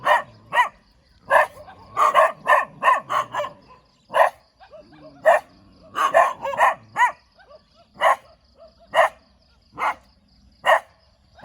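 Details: Dog with a wagging tail barking in single sharp yaps and short doubled bursts, spaced about half a second to a second apart, with soft whining undertones between barks.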